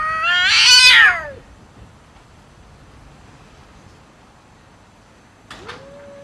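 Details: Cat fighting another cat over food; one loud harsh yowl sweeping downward in the first second, then near silence, and a short rising meow at the end.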